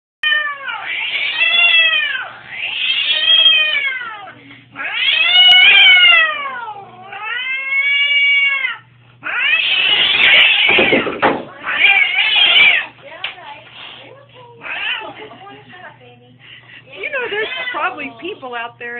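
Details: Domestic cat screaming at the vet, loud enough that the doctor left him: long drawn-out yowling wails, rising and falling, repeated in bursts roughly every two to three seconds, some harsh and ragged, with a low hum underneath.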